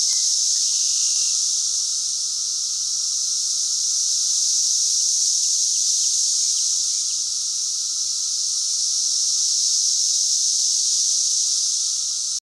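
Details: Cicada calling in a steady, unbroken high buzzing drone that holds at constant loudness throughout, with a faint lower tone running beneath it.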